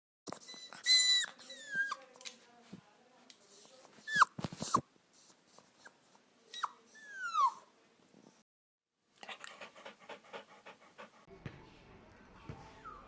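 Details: Dog or puppy whimpering and whining, thin high falling whines and squeaks mixed with snuffles and clicks, a pause, then scratchy rustling and faint further whines.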